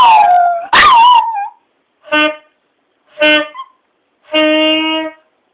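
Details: Two pet dogs, Spike and Ren, howl along to a saxophone: a wavering, sliding howl opens, then three sustained, rich saxophone notes follow with short silences between them.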